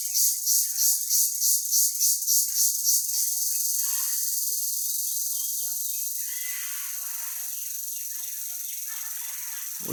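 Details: Crickets in a village, small insects with a very loud call: rapid rhythmic high buzzing pulses for three seconds, then a continuous shrill hiss that slowly fades, ending in a low thump.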